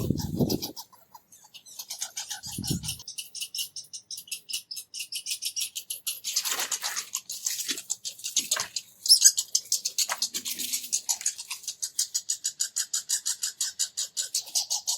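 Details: Two red squirrels not getting along, squeaking loudly as they argue and chase each other around a bird feeder; rapid, high-pitched pulsed chattering runs almost continuously, with a louder burst midway and a few low thumps near the start.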